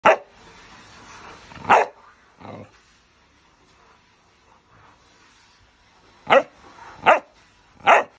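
A Chow Chow barks in short, loud bursts, a couple early on and then three more spaced about a second apart. Between the barks there is only faint background hiss.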